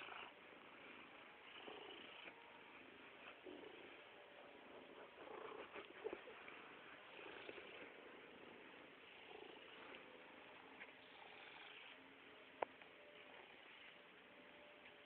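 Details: Attention-seeking purring from Stoagy, an overweight pet cat: a low, continuous rasping hum pulsing with each breath, with a faint tick late in the clip.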